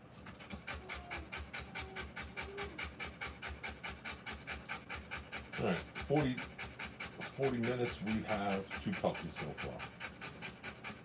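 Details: Rottweiler panting while giving birth to puppies: fast, steady breathy pants, about two per second, run through the whole stretch, while human voices talk over the middle and end.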